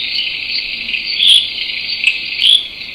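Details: Critically endangered Pickersgill's reed frog in reed beds in KwaZulu-Natal, South Africa, recorded for a study of airplane noise: a very soft call of insect-like pulsed chirps, each falling slightly in pitch, over a steady high hiss.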